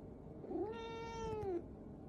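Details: Domestic cat upset at being kept off a lap utters one long, steady, slightly falling meow lasting about a second, in a quiet room.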